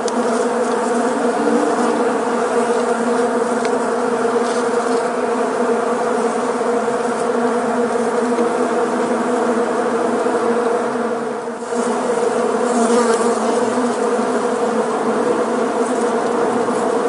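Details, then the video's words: Many honey bees flying together, a dense, steady droning buzz with layered humming tones that holds throughout, dipping briefly near the end before swelling back to full strength. "honey bee sound /many bees flying"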